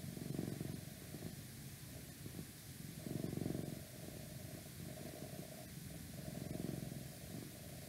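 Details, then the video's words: Domestic cat purring, recorded for ASMR: low rumbling purr swelling in three strong bursts about three seconds apart, quieter purring between, over a faint steady background hum. "Cat Purring"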